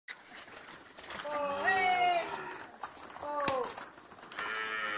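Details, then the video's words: Jafarabadi buffalo coming back home: two drawn-out, tonal moo-like calls that rise then fall in pitch, with faint background chatter and scattered knocks. "JAFARABADI BAFFLO COME BACK AT H0ME"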